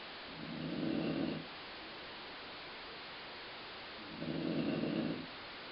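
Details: Colline, a dog, snoring, the sound likened to a growling stomach: two low, rumbling snore breaths about a second long, spaced roughly three and a half seconds apart over a steady background hiss.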